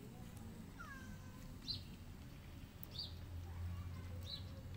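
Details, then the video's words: Hungry kittens, five in a litter with their white mother cat, give thin high-pitched mews, short rising-falling calls repeated roughly every second or so, over a low steady background hum. "White Mother Cat And Her 5 Crazy Hungry Kittens"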